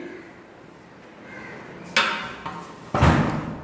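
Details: Loud knocks and heavy thuds ring out indoors in a large room after a quiet stretch of background noise.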